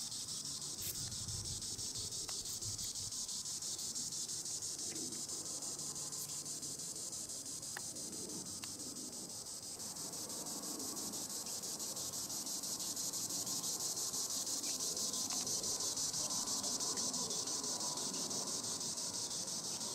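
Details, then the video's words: Cicada song from Tibicen linnei in the treetops: a droning high buzz, rhythmically pulsing, rising in intensity after the midpoint, with scattered small ticks and background rustle. "Green Annual Cicada tibicen linnei (Cicadidae) sounds recording in the treetops"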